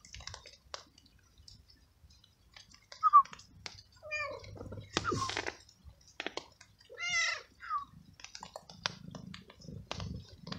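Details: Stray male cat soaked by rain, following the person feeding him treats, gives a few short meows amid clicking and chewing sounds, with a quiet rumble near the end.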